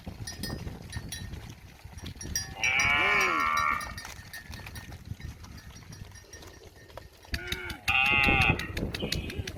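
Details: Cow standing beside a village house, mooing for grass food; two drawn-out, wavering moos about five seconds apart, with a steady ticking noise running throughout.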